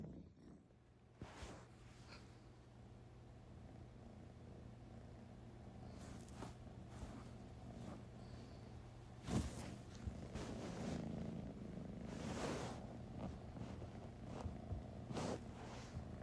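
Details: British Shorthair cat (Felis catus), purr.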